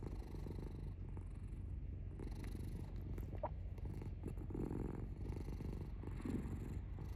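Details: Pet cat purring, a dense low throbbing drone that continues without a break, with a few faint soft rustles over the top.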